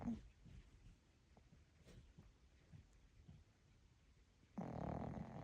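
A sleeping puppy snores softly in low, rumbling breaths, followed by a sudden loud rustle.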